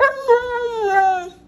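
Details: Dog whining in a compilation of puppy footage: one drawn-out tonal whimper with rich harmonics, gliding slowly downward in pitch over about a second and a half, with a brief catch near the start, and no other sounds.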